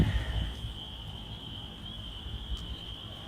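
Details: A distant chorus of spring peepers forms a steady, high-pitched shimmering ring over low rumbling wind noise, at night in Michigan on 18 April 2025 during a severe storm, with lightning and rain starting to fall.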